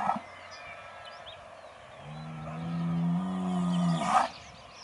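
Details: Aubrac bull calling on a farm near Laguiole, Aveyron: a long, low, steady bellow, slowly rising over about two seconds and ending in a short harsh burst, with faint birdsong in the background.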